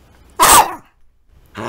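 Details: Small pet dog named Sasuke, playing with his toy indoors, lets out one sharp loud bark lasting a fraction of a second, then silence before another sound begins; a person scolds him with "no" around it.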